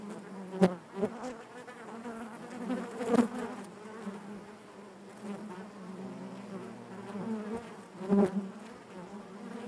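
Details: Honey bees inside their hive, a dense steady hum centred low with overtones stacked above, broken by a few sharp clicks and louder swells near the first and third seconds and again near the eighth.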